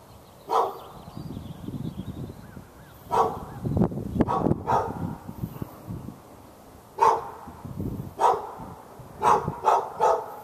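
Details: Hours-long barking by a dog behind a fence in Raleigh, North Carolina, directed at the dog next door, February 15, 2012; scattered single barks give way to a quick run of three near the end, over persistent low rumbling background noise.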